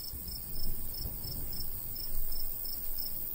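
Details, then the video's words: Crickets calling in a summertime wheat field in the countryside, a light breeze blowing. Faint, high chirps recur about three times a second beneath louder, gusting low wind rumbles. "Countryside/cricket sounds"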